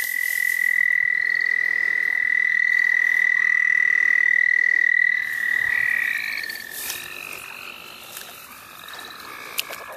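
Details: Frogs calling at the St. Olaf College Natural Lands: one long, steady, high trill holds unbroken for about five seconds over a softer chorus of other frogs, then fades into scattered, quieter calls.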